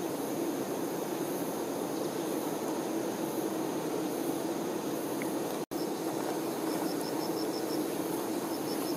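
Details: Honey bee workers tending their queen fill the air with a dense, steady buzzing hum, joined by a faint rapid pulsing chirp and interrupted by one brief moment of silence.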